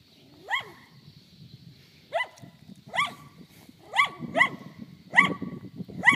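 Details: Dog barking at cows outdoors: short sharp barks with a falling pitch, about seven across the stretch, some spaced a second or more apart and others coming in quick pairs, over a faint low rumble.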